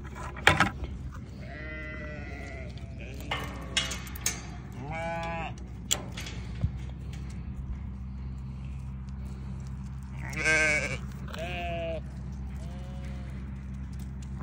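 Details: Bleats of newborn lambs come in scattered bursts: short, quavering cries separated by pauses, over a constant low droning hum and a few sharp knocks.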